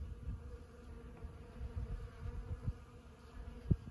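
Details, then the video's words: At Los Osos elfin forest, honeybees buzz around flowering sand buck brush (Ceanothus cuneatus var. fascicularis) one morning; a soft low drone rises and dips, punctuated by a sharp nearby buzz pass toward the end. "Honeybees on Ceanothus cuneatus at Los Osos elfin forest."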